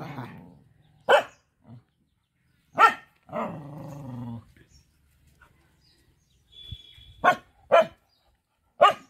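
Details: Mother village dog defending four puppies, barking at an approaching person: isolated sharp barks spaced a second or more apart, one low growl between them, otherwise quiet.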